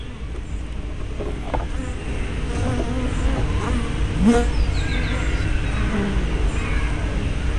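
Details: Honey bees flying at a hive entrance, filmed 24 May 2012 with a small spy camera and fisheye lens: overlapping low buzzing with several bees zooming past, pitch briefly rising and falling, over a steady low hum.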